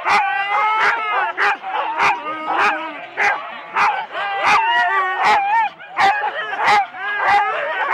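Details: Start of four-dog Husky team runs, Rendlesham, January 2016, analogue cassette recording: many dogs at once, sharp barks roughly every half second over a bed of howling, bending whines.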